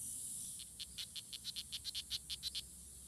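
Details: Strawberry poison dart frogs (Oophaga pumilio) fighting at La Selva Biological Station near Sarapiquí, Costa Rica, on June 24, 2016; a rapid buzzy series of about fifteen short high chirps, over steady high-pitched insect hiss.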